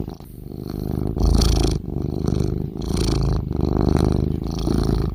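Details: Snoring cat: slow, throaty low-pitched rumbles rising and easing with each breath, two or three breath cycles in a few seconds, nothing else audible.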